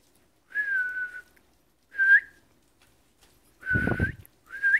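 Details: Seven-week-old Pocket Beagle puppies from a litter, whining in four high, steady, drawn-out tones of about half a second to a second each, some lifting at the end, with a low thump beneath the third whine.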